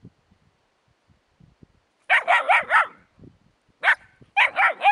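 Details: After near silence, puppies beside a hedgehog burst into shrill, rapid yips: a run of four, a lone yip, then three more in quick succession, each bright and slightly rising-falling.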